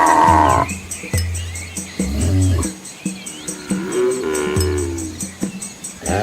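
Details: Cattle herd with young calves on a scenic rural road in an Asian village; several short, deep moos sound in quick succession, followed by a longer, wavering higher moan and a final low grunt.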